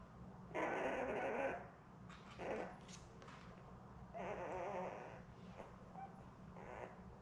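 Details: Newborn Labrador Retriever puppies, a litter of seven born May 24, 2021, with their mother Belle on a live puppy cam; drawn-out whining cries in two long bursts and a few shorter squeals, over a steady low hum.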